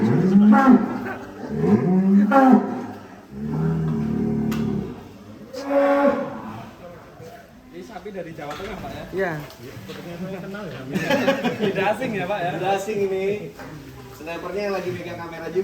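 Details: Sacrificial cattle from 2023, belonging to artists and officials, give several deep, hoarse moos in quick succession over the first seconds, then fade under men's talk and background music.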